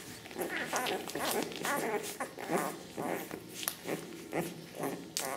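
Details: Squeaky, harmonic yelps from ten-day-old Ca de Bou puppies, offspring of Ivi and Tito, come in quick bursts roughly twice a second, mixed with shuffling and soft handling sounds indoors.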